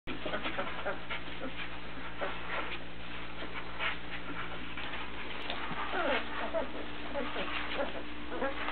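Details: Chocolate Labrador Retriever puppies from Gypsy's litter, born April 14th 2009, recorded in April 2009; many short, high squeaks and faint whimpers overlap, with small curved whines toward the end over a steady low electrical hum.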